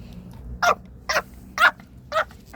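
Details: Pomeranian puppy sneezing while out on a walk: four short, sharp, noisy bursts spaced about half a second apart, with a fifth starting at the end, over a quiet low background hum.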